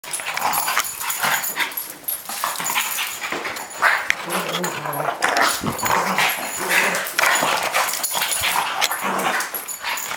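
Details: Boston Terrier and Cavalier King Charles Spaniel in a play fight indoors: rough, noisy growls and snarls in quick bursts, with scuffling and some human voices.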